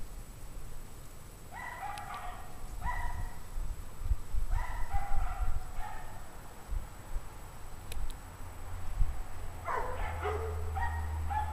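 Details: Pack of dogs barking on a 17-degree Fahrenheit winter evening, January 9, 2009, at 5:00 PM; distant harmonic yelps and barks come in short bursts around two, three, five and ten seconds over a steady low rumble.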